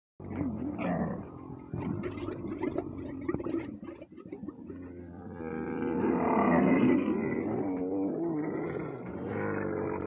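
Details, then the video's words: Camels during mating making noises: a long, deep rumbling and gurgling call with rough, pulsing grunts, swelling louder in the second half and continuing steadily to the end. "Camels Mating And Noises"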